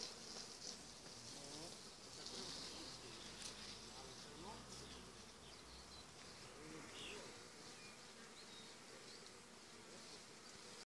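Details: Honey bees swarming on an apple tree in June, a swarm later filling six to seven hive frames: a dense, continuous hum of many wings fills the whole recording, steady and even throughout, without pauses or other clear sounds.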